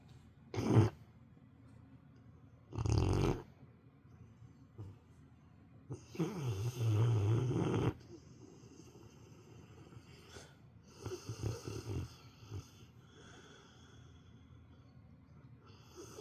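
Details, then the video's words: Female house dog asleep at nap time, snoring like an old man. Loud, low, rasping snores come in irregular bursts, some brief, one stretching about two seconds, with quieter snuffly breathing between them. "犬のいびき～Dog snoring～"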